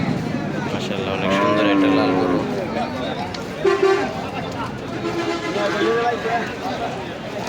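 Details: Cattle at the Nandail Chowrasta cattle market in Bangladesh, 17 July 2025, where Sahiwal, Friesian and local cows are sold: a low, drawn-out moo of about a second and a half rises out of busy market chatter, voices and background music.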